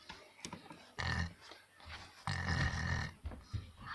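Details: Black German Shepherd snoring: low rasping, grunting breaths in broad noisy bursts, two long ones around one and two and a half seconds, with shorter snorts between.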